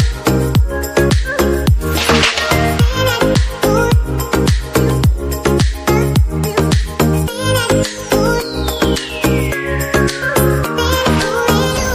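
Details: Steady electronic dance music with a thumping beat and a long falling synth sweep, with no animal voices.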